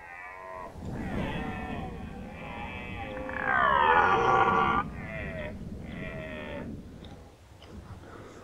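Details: Rutting red deer at Nationalpark Unteres Odertal, 2019. Hoarse groaning roars run on for several seconds and swell into one loud, rasping bellow in the middle. Shorter moans follow with brief gaps.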